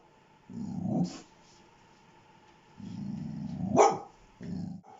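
A dog gives low, rumbling growls in bursts of about a second, broken by a short, sharp bark near the end. A faint steady hum runs underneath.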